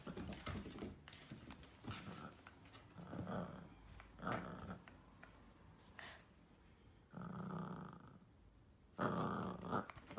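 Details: Miniature dachshund at play, growling softly in short rough bursts spaced a second or two apart, with a louder, longer growl near the end in a quiet indoor room.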